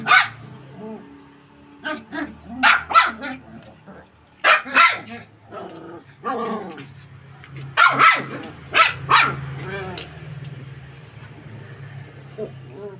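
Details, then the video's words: Golden retriever puppies romping, running and jumping in close quarters; frequent high yips and barks in quick irregular runs, some whiny, with a low hum underneath. "puppies play in tight areas, run, jump n bark. cute puppy barking"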